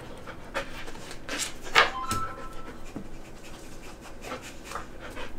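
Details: A female golden retriever gives a brief high whine between quick panting breaths while trying to unbox her dog biscuit treats, with packaging crinkling.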